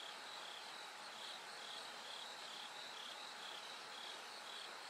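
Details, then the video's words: Bell cricket singing through the night as it gradually grows brighter: short ringing high bell-like pulses repeated about twice a second, with a second overlapping pulse train, over a steady hiss and a faint constant hum. "bell cricket Cry of falling insects It gets brighter gradually from the night"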